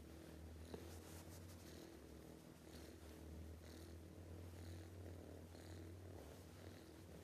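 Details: Sleeping cat snoring loudly: a steady low droning rumble with strong deep tones, broken by soft airy breath bursts roughly every second, plus one sharp click near the start.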